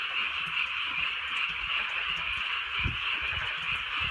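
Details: Frogs in chorus during a gentle night rain in the countryside, their massed croaking merging into an unbroken buzzing trill, while faint drips and a few louder low thumps sound underneath.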